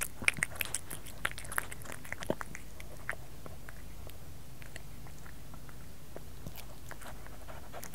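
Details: Domestic cat eating indoors, close and quiet: sharp crunchy clicks and bites come quickly in the first three seconds, then thin out into sparse soft chewing ticks over a low steady room hiss.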